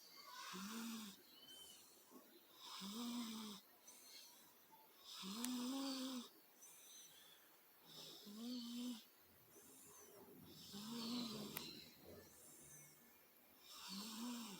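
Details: Sleeping female cat snoring steadily indoors, soft rasping breaths repeating about every two seconds with a low buzzy tone on each inhale and faint hiss between; light background murmur.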